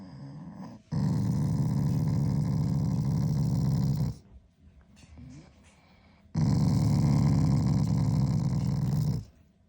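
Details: Shiba Inu growls at its owner as a show of affection rather than anger; two long low rumbling growl bouts of about three seconds each, separated by a quieter gap with faint sounds.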